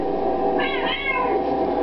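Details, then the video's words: Domestic cat meowing along with Happy Birthday played from its own recording indoors: a long wavering meow with a rising start and a falling tail, over a background of music and a singing voice. "Singing Sensation Grrr-ay Cat sings with his own video!"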